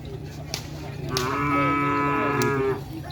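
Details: Young cattle among many at a gathering show, one sustained moo of about a second and a half, rich and steady with clear harmonic layers, over crowd chatter and a low engine hum.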